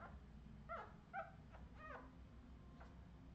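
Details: Short clipped whimpers from Redwing Australian Terrier puppies, 2018: three or four brief bright cries in quick succession, then a faint one, with low room hum throughout.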